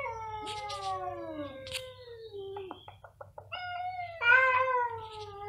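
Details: Two cats meowing very loudly in turn, long harmonic wails sliding downward, a burst of short clicks in the middle, then a higher, rising and falling yowl near the end.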